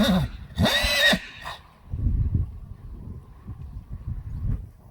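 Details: Friesian horses in a herd being brought inside while one horse is lame: a loud, harsh whinny lasting about half a second, then softer low snorts and hoof clatter, with brief Dutch speech near the start.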